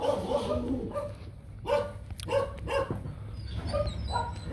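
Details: Nano, a young male Rottweiler stud from the Gervi kennel, kept back while being teased; a few sharp, sudden barks with tonal whines in between, mixed with people's voices and a steady low hum.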